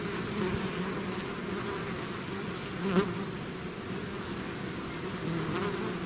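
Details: Swarm of bees outside the hive, steady whirring buzz throughout, one bee flying close by near the three-second mark.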